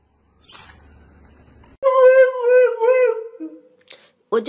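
A Siberian Husky gives a sustained, wavering howl that holds steady and then drops away.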